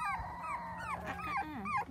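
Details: Whining from a litter of seven 4-week-old Dachshund puppies at play on a trampoline with kids: overlapping, wavering high cries that rise and fall, several pups calling at once above low background noise.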